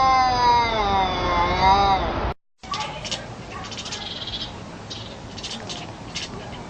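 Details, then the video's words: A cat making a weird sound: a long, wavering, tonal yowl lasting about two seconds with rich overtones. A brief silence follows, then softer scratchy, clicking noises. "Cats who make weird sounds"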